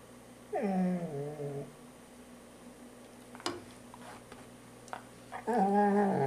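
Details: Poodle vocalizing during grooming: two drawn-out, tonal growling moans that slide downward, one early and one at the end, with a faint sharp knock in between over a quiet indoor hum.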